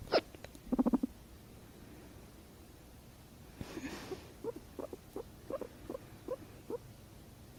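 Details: Indoor pet guinea pig purring whenever its owner hiccups: sharp clicks open the recording, then a breathy gust, followed by a series of brief mid-pitched pulses repeated about twice a second.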